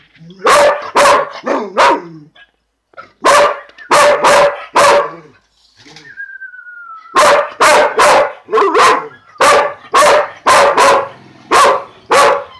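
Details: A male purebred Dalmatian at lunchtime lets out a long run of loud, punchy barks in clusters of two or three. A short falling whine comes during a pause midway, then steady barking resumes.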